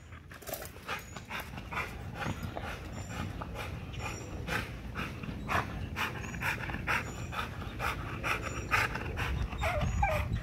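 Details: An XL American Bully pitbull works a spring pole in an extreme exercise session, breathing in fast, rough, steady gasps throughout, with a low rumbling background and brief high chirps overhead.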